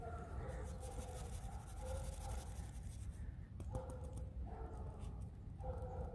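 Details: Grumbling play sounds from Alisa the pet fox, indoors: nasal, droning, harmonic moans in several short phrases, each about a second long, over low room hum.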